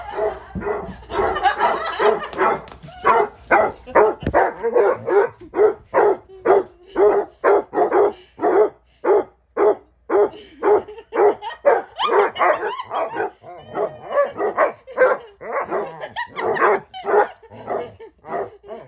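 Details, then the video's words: Basset Hounds Ari and Musta barking and talking back: nearly twenty seconds of continuous, rhythmic deep barks, roughly two per second, with overlapping voices early on and a few higher yelping notes. "Basset hounds barking and talking back."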